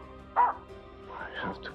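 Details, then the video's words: A female Finnish Spitz hunting dog on a frosty, humid morning in craggy woods by a lake barks at small birds up in trees, unusual for her: one short, sharp, mid-pitched bark, with faint voices and music. "Barking at Small Birdies"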